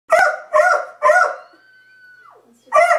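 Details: Pet beagle Libby watching dogs across the street, giving three quick harsh barks about half a second apart, then a short steady whine-like tone, then another bark.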